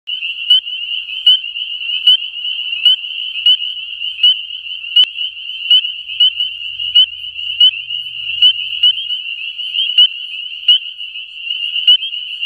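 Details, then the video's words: A dense chorus of spring peepers, treefrogs calling in courtship in springtime Pennsylvania, gives high, piercing peeps that blend into a steady ringing shimmer. "Spring Peepers calling"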